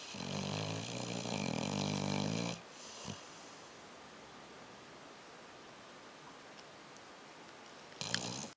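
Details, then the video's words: Dog sleeping at the end of a perfect day snores in a long, harsh, rattling drone for over two seconds, then long quiet breathing pause before the next loud snore starts. "Snoring Dog - End of a perfect day"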